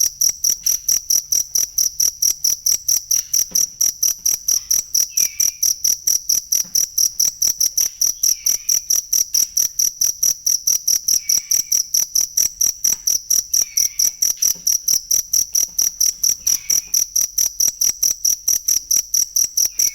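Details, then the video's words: A cricket's genuine chirping, meant as masteran material for training songbirds: rapid high, ringing pulses in a steady train, with a faint downward-sliding whistle returning every few seconds underneath. "ASLI SUARA JANGKRIK BUAT MASTERAN BURUNG"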